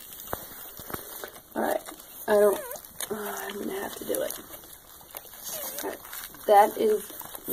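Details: Squealing cries from freshly born Wheaten Terrier by Shiba Inu mix puppies, short wavering high whines in bursts, two louder yelps standing out, while a person's voice talks over the litter.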